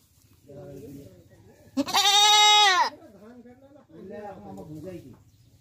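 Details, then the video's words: Goat giving one loud, harsh bleat lasting about a second, rich in stacked harmonics and falling slightly at the end, between quieter human speech before and after. "goat sound"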